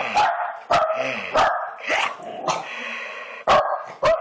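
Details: A dog barks loudly and repeatedly, sharp, rough barks roughly every half second to second, some drawn out and slightly whining at the end.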